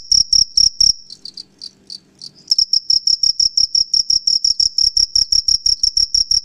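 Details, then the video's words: Male cricket, or jhingur, singing at night with rapidly rubbed wings to lure females; high piercing chirps, a quieter faltering stretch near the start, then quick steady pulses resume. "Crickets Sound Natural Sound ( Jhingur)"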